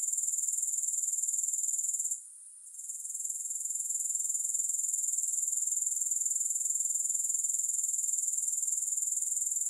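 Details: Grasshoppers keep up a thin, very high-pitched pulsing trill, about four beats a second; a short hush after two seconds before the sound gradually returns, no music.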